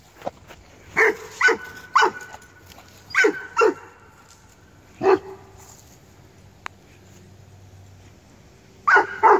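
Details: Tosa Inu at a kennel releasing energy, giving loud deep barks in short bursts: a pair near one second, another pair near three seconds, single barks at five and nine seconds, quiet between.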